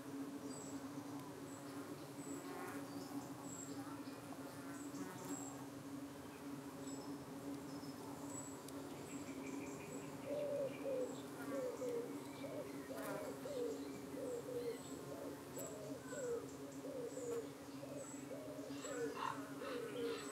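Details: Honey bees at a hive in the UK in the evening, defending themselves as flies dart in and try to cling to their abdomens; a steady low humming drone with layered overtones runs throughout, with faint high bird chirps above.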